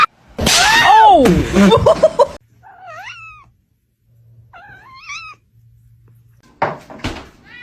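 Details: Kitten meowing indoors: loud, drawn-out wavering meows open the sequence, followed by softer, high, short meows spaced a couple of seconds apart, ending with another burst of loud sound.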